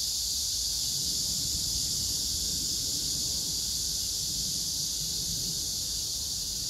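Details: Cicadas singing at Hwarang Park by the Gyeonggi Museum of Art, Choji-dong, Danwon-gu, Gyeonggi Province, on 9 August 2024 among pink crape myrtle blossoms, with grass insects; a steady, dense high hiss drones without pause over faint low rumble.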